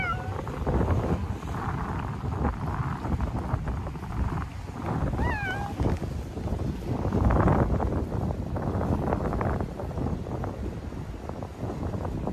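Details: Stray cats in a park during a cold wave, in winter coats; two short, falling meows stand out, one near the start and another around five seconds, over steady wind noise and low rumbling.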